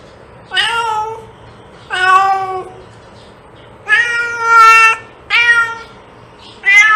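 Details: Cat meowing to attract cats: six loud, plaintive meows in seven seconds, some rising then falling, one long drawn-out call near the middle, harmonics stacked high, faint hum beneath.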